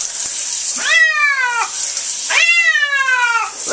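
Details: Domestic cat being bathed, yowling in protest: two long, loud harmonic meows, each sliding gently downward and lasting close to a second, over the steady hiss of running water.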